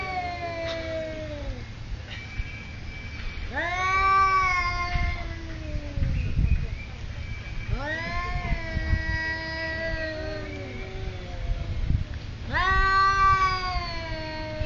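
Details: Territorial yowling between two cats at a Thai resort, with long wavering howls that swell and fall, coming in three main bouts separated by brief pauses, and a low background rumble.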